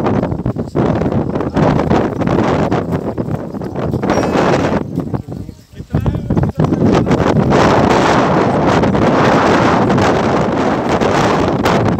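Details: Strong wind buffeting the microphone and people talking at an outdoor goat market in Pakistan, with a short quieter lull near the middle; no animal calls stand out.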